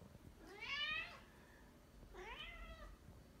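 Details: Pet cat indoors while hunting a fly gives two clear, rising-then-falling meows about a second and a half apart, the first louder and longer.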